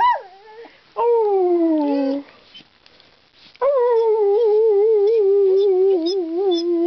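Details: A talkative pet dog sings indoors: a drawn-out falling howl, then a second sliding whine, a pause, and a long wavering moaning note with rich overtones, like talking or singing.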